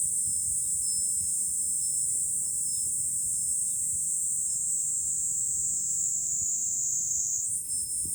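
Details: Cicadas singing in July from a high lookout over Fukuoka City, Japan: a dense, unbroken high-pitched shrill that holds steady throughout and shifts slightly near the end, with faint tinkling of wind chimes.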